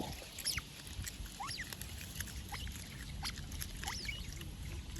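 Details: Otter chirping, a sound given to signal anxiety or to call another otter: a series of thin, bird-like chirps that sweep up and down, repeated about every half second to a second over a steady low rumble.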